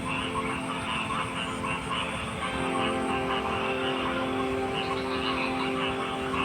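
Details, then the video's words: Overlapping frog croaks repeat roughly twice a second in an unbroken chorus, set against a steady droning hum. "Frog Sounds"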